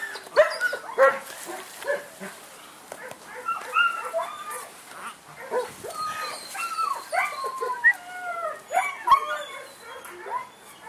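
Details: A German Shepherd puppy, male, from Saratov, whines in thin, bending whimpers that climb and slide down, closely spaced and uneven, over soft scuffing and faint background noise.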